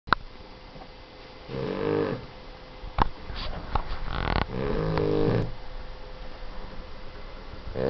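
A Boston Terrier snores loudly, each rough, rattling breath lasting about a second.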